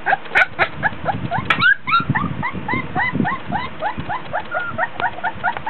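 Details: Three-week-old Border Collie puppies, 24 days old, playing with toys in a whelping box while hot and tired; many overlapping high whines and squeaks, rising and falling, repeated rapidly throughout, with faint handling noises.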